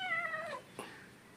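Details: Angry, naughty kitten indoors giving one drawn-out harmonic meow that slides downward over about half a second, then a brief soft noise and quiet room tone.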